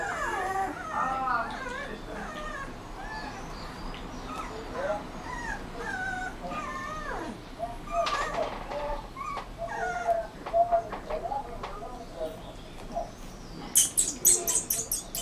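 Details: Young Rottweiler whimpering, with wavering, high-pitched whines and yips crowded together in the first half. The calls give way to a run of rapid clicking and rattling knocks toward the end.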